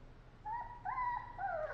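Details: Sleepy puppy whimpering in a small indoor room: a few thin, high, steady whines in close succession, the last one falling slightly in pitch.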